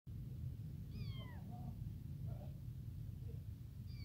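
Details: Tiny newborn abandoned kitten crying for its mother, hungry for milk: a high, thin mew sliding downward, then a second cry starting at the end, over a steady low rumbling background.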